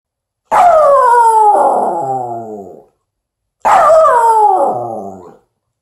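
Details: Poochin, a Poodle-Japanese Chin mix dog aged 2 years 3 months and weighing 14 lbs, howling, recorded 1 March 2021: two long harmonic howls, each about two seconds, starting high, sliding downward and fading, separated by a short silence.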